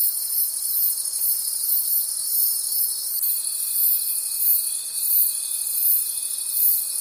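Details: A nighttime chorus of crickets in the forest, bright high-pitched trilling rising and falling in a regular pulse, with a pure steady tone entering partway through and holding to the end.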